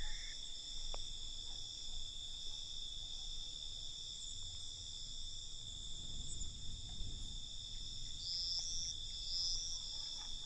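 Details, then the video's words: Night-time crickets form a continuous high-pitched trilling wall of sound, with brief brighter chirp bursts near the end over soft low-frequency rumble. "Night Cricket Sound"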